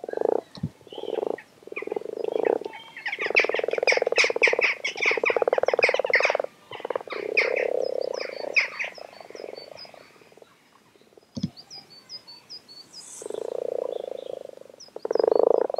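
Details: Frogs arrived in numbers at WWT Castle Espie fill the air with overlapping low croaks, rapid pulsed trills and higher clicks. Brief lulls break the calling, then voices surge back in quick, irregular bursts.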